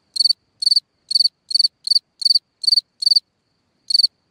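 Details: Cricket calling at night from a hole in the ground: sharp high chirps of three or four rapid pulses each, about eight in quick succession, then a short gap and one more chirp.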